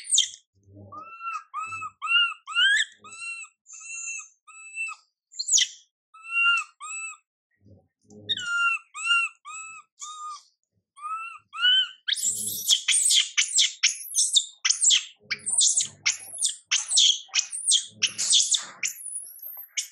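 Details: Ignored by mother MILIKA, young monkey MILA wails over and over with clear arched, tonal cries, then breaks into a long stretch of shrill, rapid screeching; faint low thuds occur throughout.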